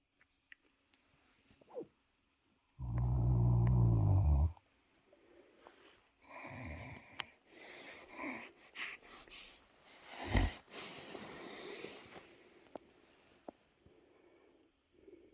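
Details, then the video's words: Wächter, a sleepy pet Great Dane, snores while asleep indoors: one loud, deep, rumbling snore lasting under two seconds, then a run of quieter uneven breaths and soft snuffles in a quiet room. "Great Dane Love Snoring"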